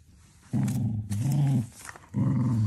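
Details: Cocker Spaniel puppy growling while playing with a huge basketball: three low, rough growls about half a second to a second long, separated by short pauses.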